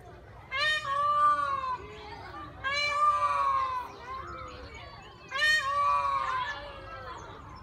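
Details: Pygmy goats, a miniature domestic goat breed, at Flamingo Land Zoo: three loud, drawn-out nasal bleats, each about a second long and rich in harmonics, spaced roughly two seconds apart over low background hum.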